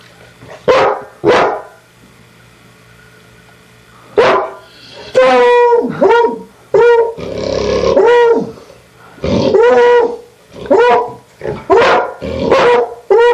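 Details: Two dogs barking in lively bursts: a pair of quick barks, a pause, then a run of rapid, harmonic, slightly yelping barks with a brief rougher, noisier stretch in the middle.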